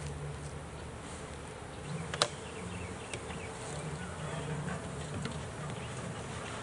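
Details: Honey bees pulled from a swarm trap after their first catch: a steady low buzzing hum, slightly rising in intensity, broken by a sharp click just after two seconds and a few softer knocks.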